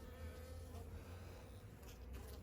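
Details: Honey bees of a nucleus colony in the shade, heard during a frame inspection in early spring as snowdrops appear: a steady, low, droning hum with layered tones, continuous throughout, with faint handling rustles.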